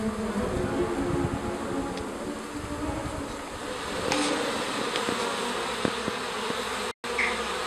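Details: Honey bees leaving their hive in a garden to stretch their wings: a dense, steady hum of many wings with low droning tones, a few sharper ticks near the middle, and a brief dropout near the end.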